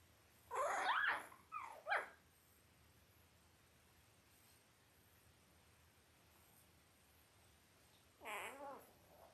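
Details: Five-day-old Labrador Retriever puppies from Belle's litter of five males and three females, born October 15, 2023, on a live puppy cam: high, wavering whimpers in two quick bursts early on, a short warbling cry near the end, quiet between.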